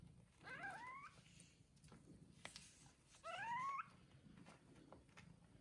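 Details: Kittens one day after birth, indoors with their mother cat in a soft bed: two faint rising mews about three seconds apart over a low background hum.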